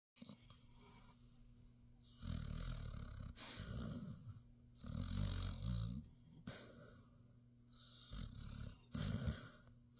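A Basset Hound snores in deep, rumbling bursts, each rough breath lasting about a second.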